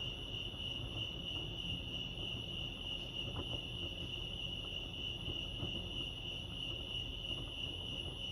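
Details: Crickets at Lake Arrowhead, California, sustaining a shrill, rapidly pulsed chirp with a fainter upper overtone, over low ambient noise with a few soft knocks.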